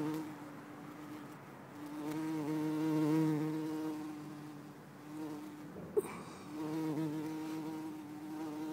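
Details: Bumblebee filmed in Lisbon on 4 December 2011, a rich, low humming buzz whose pitch wavers as it flies, broken midway by a brief sharp click before the drone resumes steadily.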